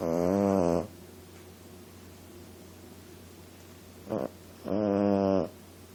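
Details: Female Boston Terrier puppy asleep indoors, snoring: two drawn-out, buzzy, harmonic-rich snores, one at the start and one near the end, with a short faint snort between and quiet room hiss in the gaps.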